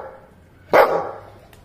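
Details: A Labrador Retriever trained to bark on command gives a single sharp, loud bark after a quiet pause.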